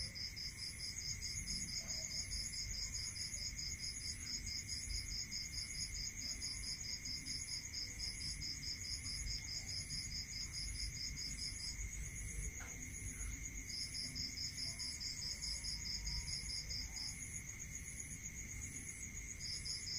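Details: Crickets at night in a rural area, several callers overlapping in rapid, high-pitched pulsed trills that run on with brief gaps, over one steady, unbroken high buzz and a faint low rumble of background noise.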